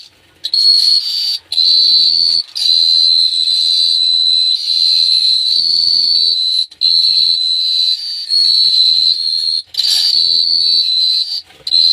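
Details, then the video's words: Crickets at night in Phteah Prey sing a sustained shrill ringing trill, interrupted by several brief gaps every couple of seconds, faint low tonal hum beneath. "The Sound of Cricket Chirping is amazing"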